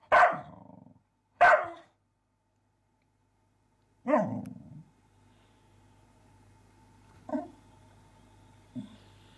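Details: Sparx, a pet dog, barks at a teasing mouse: two loud, abrupt barks a second apart, then a lower gruff bark after a pause, followed by two faint, short woofs trailing off.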